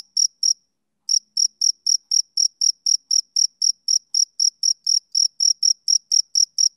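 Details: On a summer evening a male cricket gives two chirps, falls quiet for half a second, then keeps up a brisk, even train of piercing high pulses. The background is otherwise silent.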